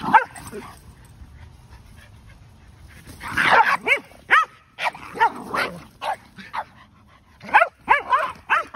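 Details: Two dogs at play, Kumo the Keeshond with a muddy rear and his brother Sully the Boston Terrier, in an epic chase: loud, rising-and-falling yelping barks, at first single, then in quick bursts of two or three.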